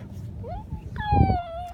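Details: A 12-week-old corgi puppy gives a short rising whine, then a longer, clear, high whimper that slowly falls.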